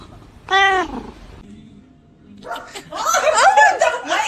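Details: Domestic cat giving a single short, arched meow with clear harmonics, loud and nasal, followed after a pause by overlapping human laughter and excited speech.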